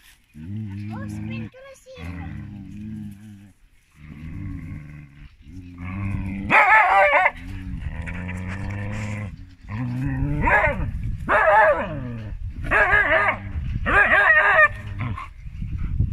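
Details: A female Siberian Husky, arguing, talks back in drawn-out, wavering moans and yowls that grow louder and more forceful.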